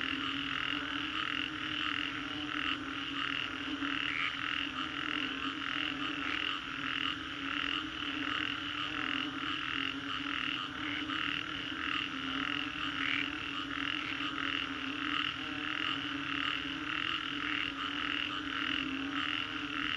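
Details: After a storm in the Singapore Green Corridor, a large group of frogs keeps up an unbroken croaking chorus. Quick pulses pile into a dense, shimmering mass that barely changes over twenty seconds.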